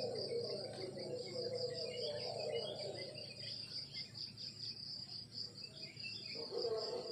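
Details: Crickets chirping in the countryside in the morning: a steady, high, rapidly pulsing trill runs without a break, over a lower, warbling droning chorus that swells and fades.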